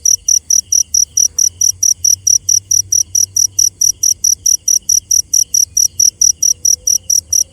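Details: Shrill, ringing chirps from a cricket at night, steady and rhythmic at around four per second, each pulse short and clean, with soft low hum beneath.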